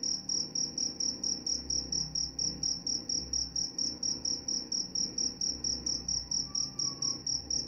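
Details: Cricket calls meant to help with sleep and to repel mice: bright, sharp chirps repeating rapidly and evenly for the whole stretch, with a quiet low rumble behind.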